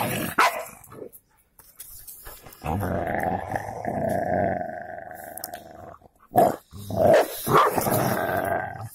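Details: Golden Labrador fighting a cocker spaniel: a sustained rumbling growl lasting about three seconds, followed by sharp snaps and short yelping snarls.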